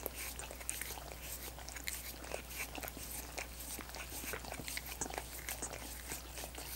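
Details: Pet dogs lapping at frozen coconut water popsicles, with quick moist clicks and little crunchy bites in an uneven, busy rhythm, accompanied by faint background hum.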